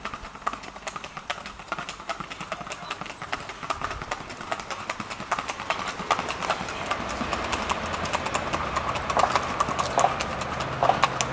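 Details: Colombian Paso Fino horses, Cortezano de La Virina FC and Tintoreta de Casanare, performing; rapid, fairly regular clattering hoofbeats, roughly seventy-four per minute, over background voices and crowd noise.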